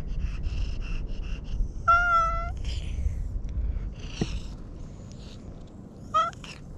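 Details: Cute-voiced domestic cat meowing while being petted; two clear tonal meows, the first long and steady, the second brief, with faint soft chirps at the start and low background rumble.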